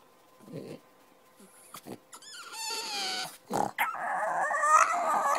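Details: A rested French Bulldog, off the bed, grumbles, snorts and whines in short bursts, then gives a long, wavering moan to wake its owner sleeping after an overnight shift.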